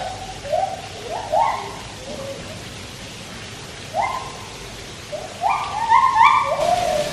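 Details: White-handed gibbons (Hylobates lar) at Taipei Zoo sing while a Malayan tapir swims: clear hooting notes that swoop upward, coming in short, quickening bursts.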